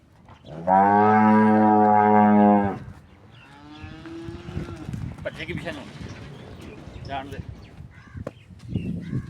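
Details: Cholistani Friesian cross cow in Pakistan giving a loud, steady moo of about two seconds with rich harmonics, followed by a fainter, shorter low call and background rustling and murmuring.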